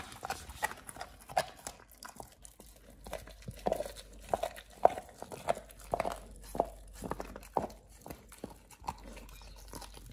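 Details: Raw ostrich paw being chewed by Oliang the Pit Bull, a first-time snack for teeth polishing and jaw exercise; steady series of moist crunches and gnawing clicks, roughly one to two per second, in a small quiet room.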